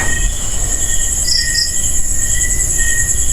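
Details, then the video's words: Crickets (kuliglig) at a cemetery at night, the only sound heard there: steady high-pitched trilling bands with short pulsed chirps layered above, over a constant low rumble. "Kuliglig lang yung maririnig nyo dito, guys."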